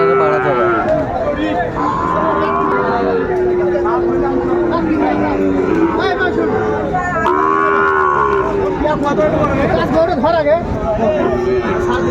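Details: Sahiwal bull calves at the Ambari cattle market, 26 April 2024, as a farmer from Barisal buys. Long, drawn-out lowing moos over a dense background of crowd chatter, bargaining voices and market bustle.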